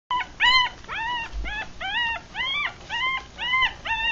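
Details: Three-day-old Rat Terrier and Chihuahua cross puppies, eyes still closed, from a litter of six, feeding indoors; a run of thin, high, arching squeals and whimpers, about nine cries in four seconds, each rising then falling.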